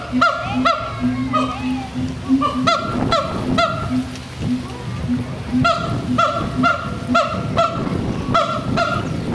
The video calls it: Siamang Vocalization _long.mpg